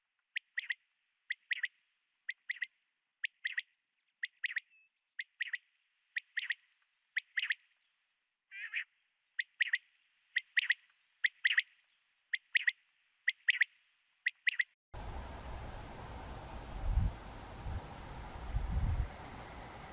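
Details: European ground squirrel (Spermophilus citellus), a day-active colonial burrow dweller, calling in sharp, short chirps repeated about every half second to second for some fifteen seconds, followed by a rough, wind-like rumble.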